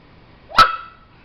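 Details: White Shiba Inu barking on command after hours of training, a single sharp bark with a falling tonal tail, preceded and followed by a person giving the spoken command.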